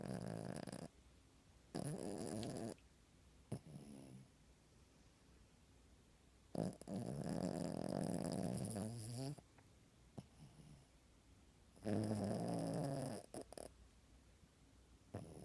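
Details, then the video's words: Puppy sleeping under the covers snores in a slow, regular cycle. Loud buzzy rasping breaths of one to three seconds alternate with quieter pauses, about five drawn-out snores in all. "Puppy Snoring"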